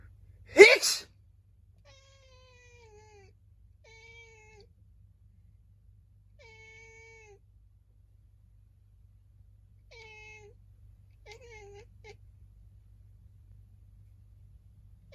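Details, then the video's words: A house cat in Japan answering a human sneeze with a series of complaining meows; a loud sneeze first, then six short, clear, slightly falling mews spaced a second or two apart, some with a chirpy upturn. "くしゃみすると文句を言うネコ Angry cat"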